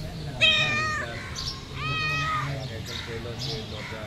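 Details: Pet cat asking for food: two clear meows with rising, harmonic-rich arcs, the second drawn out over about a second, followed by softer faint mewing and a steady low hum in the background.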